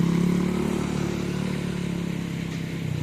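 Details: Loud revving motorcycle engine dominates at a bull-racing practice ground in Asemanis, Pamekasan, with no animal calls heard.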